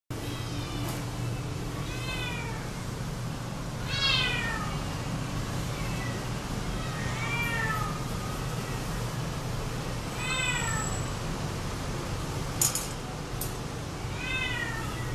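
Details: Domestic Shorthair cat available for adoption, recorded 11 January 2012; about seven clear meows, each rising then falling in pitch, repeated roughly every two seconds over a steady low hum.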